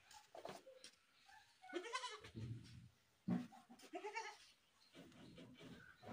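A goat lets out loud, wavering bleats that rise into harsh, human-like screams.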